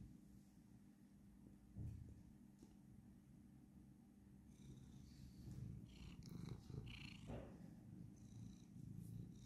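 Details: Domestic cat purring during a little wrestling play, a low continuous rumbling purr with soft rustling and a few scratchy noises over the middle section.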